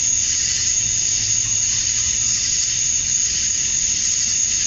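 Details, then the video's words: Male cicadas chirping to attract females at dusk on a summer night in Georgia, USA: a dense, steady, high-pitched shrill drone with a bright sustained whine on top, unbroken throughout, with no other sounds standing out. "Cicadas at Dusk, Summer Night"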